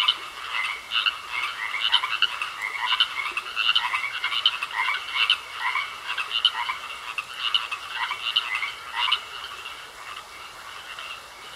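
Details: Frogs in a pond croaking as a crowded chorus, with rapid rasping pulses from many callers that stay steady for most of the stretch, then grow slightly quieter near the end.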